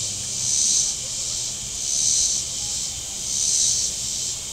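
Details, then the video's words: Cicadas calling from the shore of Table Rock Lake in southern Missouri on a very warm Saturday: a high, hissing buzz that swells and fades in pulses about every one and a half seconds, with a faint low hum of boats beneath. "Boating Lake Sounds and Cicadas"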